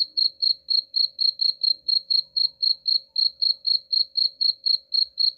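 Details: Steady high-pitched cricket chirps, meant as a rat repellent, each pulse brief and evenly spaced at roughly four per second across the whole stretch, with a thin constant hum in the background.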